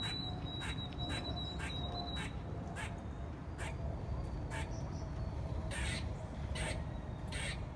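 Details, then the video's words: Squirrel 'song' made of short, hard chucking pulses in an irregular series, some doubled, under constant low background roar; a faint high twittering bird is heard at the start. "The Singing Squirrel ! 歌うリス〜♪"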